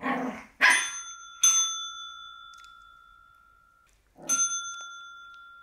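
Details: Black Shih Tzu puppy facing a bell: a few sharp yaps, each followed by a clear ringing bell tone that fades slowly, then a final bark as the bell sounds again.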